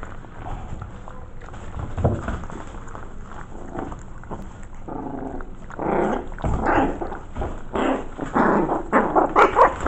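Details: Five 5-week-old Maltese mix puppies in their corral, curious about a newly added camera; quiet shuffling gives way after six seconds to a quickening run of short, squeaky yips and little barks that grow louder toward the end.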